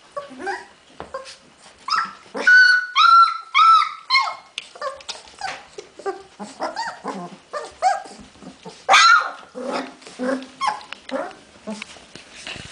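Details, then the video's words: Several Hungarian Vizsla puppies on 15 February 2011, whining and yelping almost without pause, high tonal cries mixed with short squeaks and soft grunts, in a small indoor space. "puppies magyar vizsla"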